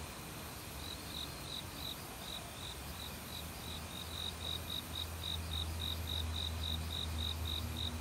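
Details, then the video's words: Autumn crickets in a forest, singing with various other insects, send a steady train of short high chirps, about three to four per second, over a low rumbling hum, likely the valley stream named alongside them. "가을 귀뚜라미 소리"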